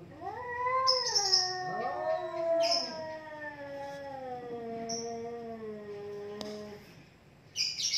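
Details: Pair of domestic cats fighting, trading rising then falling moaning yowls that overlap in long wavering tones, punctuated by short hissing spits, ending in a near-silent pause before another hiss.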